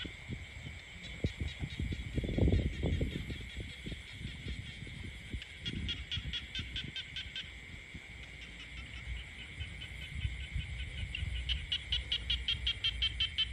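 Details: Frogs croaking in the peaceful countryside: rapid trains of short clicking pulses, several callers overlapping over a steady high ringing drone, with low rumbling bursts of wind or handling noise early on.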